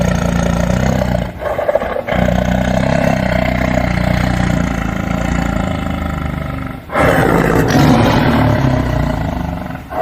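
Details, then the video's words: Tiger roaring almost continuously in a coarse, throaty, low-pitched drone, with two brief drops in loudness before a stronger surge late in the recording. "Animal sounds - Bear, Elephant, Tiger"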